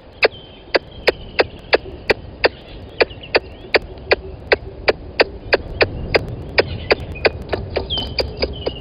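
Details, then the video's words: At Gowrie dam on Djuma Game Reserve in South Africa's Sabi Sand Wildtuin, a squirrel calls close to the live-camera microphone, 10:41, 12/09/20. Loud percussive chuck notes repeat rapidly and evenly while soft birdsong whistles in the background. "Squirrel on the mic calling"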